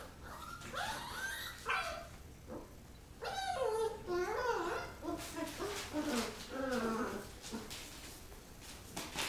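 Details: Rottweiler puppies play-fighting after eating: high, wavering whines and yelps climbing and falling in pitch, several overlapping cries close together, with scuffling clicks between.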